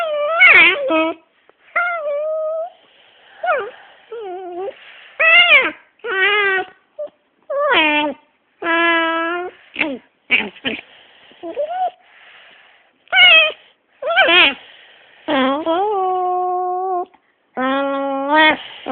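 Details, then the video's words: Dog angry while having its head rubbed, making wavering, whining and yowling tones in bursts of one to two seconds, some sliding up and down, indoors. "My Crazy dog making funny noises"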